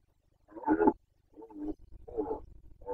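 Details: Carpathian red deer stag in the Bucovina rut of 2021, Romania, giving a series of short, hoarse, grunting roars, the first loudest, with low rumbling background noise between them.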